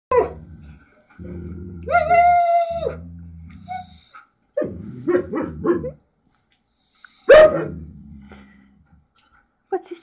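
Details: Two Siberian Huskies in a home, chattering to each other with a hidden camera recording; long wavering howl-like talking with harmonic tones, a rising yodel near two seconds, short broken vocal bursts and a loud yelp, with a person's voice between.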